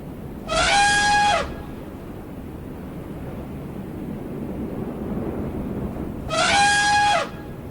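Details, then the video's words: Two harsh, horn-like elephant trumpets about six seconds apart, each lasting around a second with a strong buzzing tone, over a steady low rumble of background noise. "elephant sounds, funny elephant sounds, baby elephant sounds"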